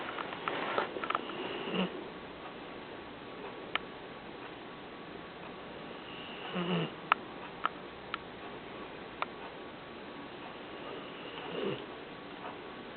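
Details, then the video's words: Sleeping Vizsla/Weimaraner puppy, seven months old, curled up on a couch and snoring softly. Rasping breaths come roughly every five seconds, with a few sharp clicks in between. "Our Snoring Vizsla - Sleeping in his favorite position!!"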